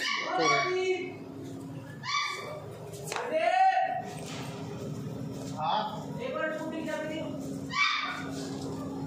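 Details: Dogs or pups kept for sale in Meerut, Uttar Pradesh, India; high, wavering whimpers and yelps with rich overtones come in short bursts every couple of seconds, over a steady low hum and faint human voices.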